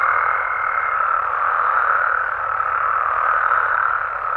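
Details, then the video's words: Frogs and toads calling at night in natural habitat in Mexico: a dense, unbroken croaking chorus, with a thin steady high whine running through the first second before fading, everything blended into one continuous wall of sound. "Mexican Frogs & Toads Sounds"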